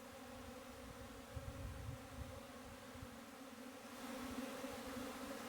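Honey bees hum with a steady, droning buzz on a low, even pitch with a rich overtone.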